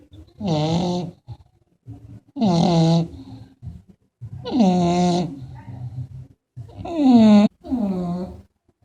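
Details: English Bulldog snoring: loud, voiced, rasping snores about a second long, each falling slightly in pitch, repeating roughly every two seconds with silent gaps between.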